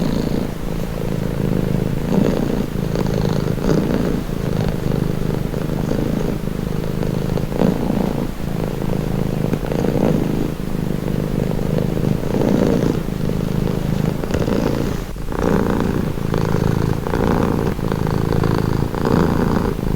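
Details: Long unbroken purring from a cat, a low vibrating rumble that rises and fades with each inhale and exhale roughly every two to three seconds, growing slightly brighter toward the end.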